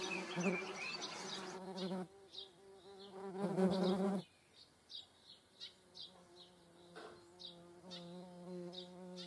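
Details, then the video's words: Median wasps (Dolichovespula media) with honeybees in the Eifel, Germany: loud buzzing bursts come and go in flight, separated by quieter spells of fainter droning, with high bird chirps scattered across the background. "Mittlere Wespen (Dolichovespula media) und Honigbienen"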